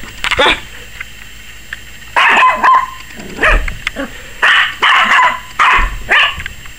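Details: Young Yorkshire Terrier, a 21-week-old puppy barking wildly and apparently afraid of the camera: after a brief yap and a quiet pause, a run of six or seven quick, high barks follows in rapid succession.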